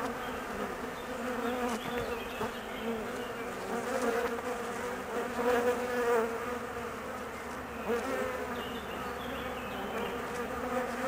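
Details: Honey bees in an anxious colony after the queen departed on her mating flight; an unbroken droning hum with a clear low buzzing pitch, pulsing slightly louder and softer every few seconds.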